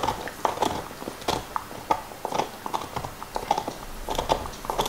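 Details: Nixon, a black Labrador Retriever, eating his favorite beef bone indoors: irregular crunching and gnawing clicks, sharp cracks scattered through the clip, with wet mouth sounds in a quiet room.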